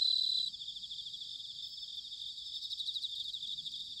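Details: Bell cricket in an autumn night chorus, Sanuki, Chiba, Japan: a short, bright ringing tone opens, then fades into a wash of rapid, high, pulsing insect trills.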